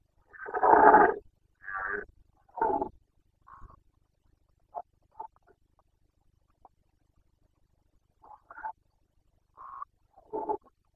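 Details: Carpathian red deer stag roaring during the 2021 rut in Bucovina, Romania, the call called boncănit: one long, loud, rough bellow, then two shorter hoarse blasts and a scatter of faint grunts spread over eleven seconds, in a quiet setting.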